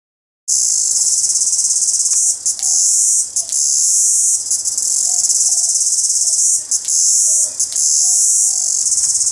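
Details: A cicada drones by day in the morning with a loud, high, steady buzz that pauses only briefly now and then.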